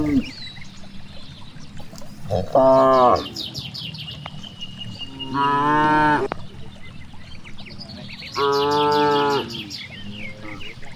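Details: Cows grazing in a wide rice field low three times at intervals of about three seconds, each moo full and harmonic, lasting around a second, over quiet rural background with occasional bird chirps.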